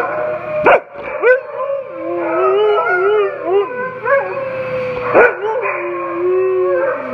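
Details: Two Siberian Huskies in rescue care, awaiting a new home, howling together: long wavering tones sliding up and down, overlapping voices weaving around each other, broken by a few sharp yips near the start and after five seconds.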